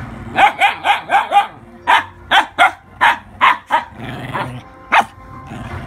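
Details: Pair of Siberian huskies yelling at a dog that stole a little husky's binky: five quick barks in a row, then about seven more spaced sharp barks, with low growly undertones between.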